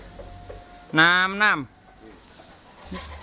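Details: Simmental cattle at a weight check give one loud, harmonic bellow of under a second. It rises, then sags in pitch with a short break midway. Faint voices and low background rumble surround it.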